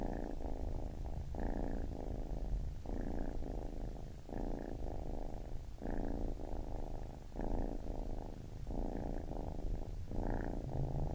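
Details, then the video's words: Purring baby kitten, a low rumble clearly split into alternating breath cycles roughly every one and a half seconds, calm and even. "Baby Kitten Purring"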